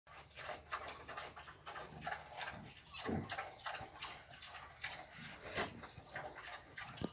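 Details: Wild boar (Sus scrofa), a sow with her piglet, gives low, rough grunts over a noisy, rustling background.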